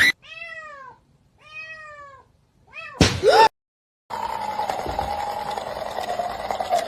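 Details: Kitten meowing: three short, clear, high arched meows about a second apart, each rising then falling, followed by a loud clatter and then steady background noise with a faint drawn-out tone.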